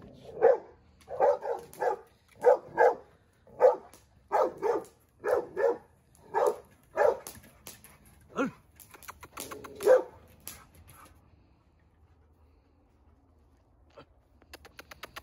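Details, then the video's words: Dogo Argentino, seven months old, in a first-time temper outburst: a rapid series of about a dozen hoarse barks in quick pairs and singles, then fading to quiet with faint clicks near the end. "Dogo argentino - losing his temper |first time reaction!!"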